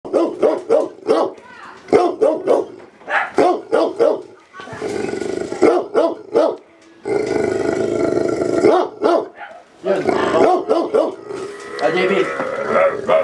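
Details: A Labrador recorded on October 16, 2023, gives a quick series of sharp barks over the first four seconds, then longer drawn-out growling and howling stretches broken by more short barks.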